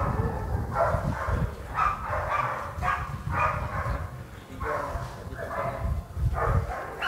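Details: Sport dog at Vom Almere Dog Training Centre, its fierceness tested in training, barks in a steady run of loud, harsh barks roughly every half second, over a low rumbling background.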